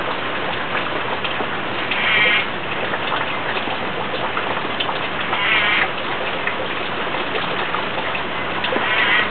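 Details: An Arizona spadefoot toad near Tucson, by Cat Mountain, calls loudly during a monsoon rainstorm: short, nasal bleats every few seconds through heavy, steady rain; possibly a male.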